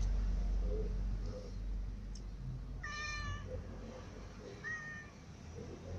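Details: Several cats, among them a new white cat, a ginger cat and little cats, eating together; two clear, tonal, slightly falling meows about two seconds apart over a steady low rumble and soft clicking feeding noises.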